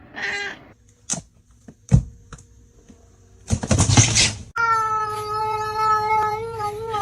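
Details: Domestic cat meowing: a short meow near the start, then clicks and rustles, a noisy burst, and a long sustained harmonic-rich meow in the final seconds.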